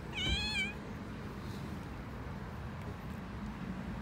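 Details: Stray cat on an Istanbul street in Turkey begging for food with one loud, wavering harmonic meow lasting about half a second, then only low city hum and faint background noise.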